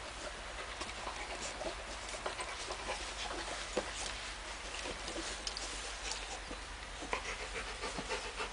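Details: Labrador Retriever beside a baby, breathing in soft, quick, breathy pants that repeat steadily throughout, quiet against a constant low hum.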